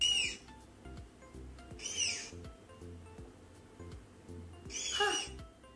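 A tapir gives three shrill, high whistled squeals a couple of seconds apart, each sliding downward, over soft background music.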